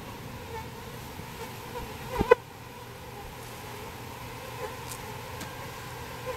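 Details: Bees taken out of a birdhouse for a new bee box hum in a constant, even buzz. One loud clatter breaks in about two seconds in, then the drone carries on.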